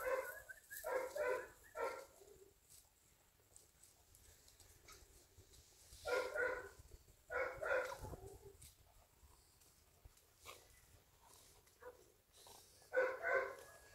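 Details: Golden Retriever puppies at play, giving bursts of high yappy barks in quick clusters of two or three, separated by pauses of several seconds, with soft background rustle between bouts.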